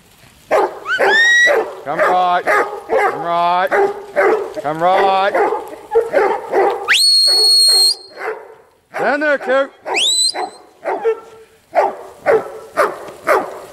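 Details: Huntaway barking, some barks wavering into yelps. Long piercing rising whistles sound between the volleys of barks, and there is a brief lull before the barking resumes.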